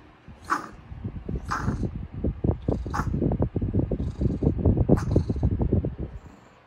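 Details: Chihuahuas playing tug-of-war: a rapid, rattling low growl runs through most of the clip, broken by a few short, sharp yips or squeaks at roughly one-second intervals.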